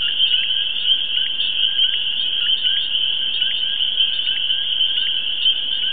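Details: A dense frog chorus at a pond in the New York City suburbs: high, shrill trilling calls blending into a continuous ringing drone.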